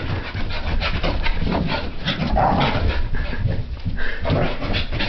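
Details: French Brittany spaniel puppy during a frantic random activity period indoors in a living room, expelling pent-up energy; rapid panting and rough breathy snorts with scuffling throughout.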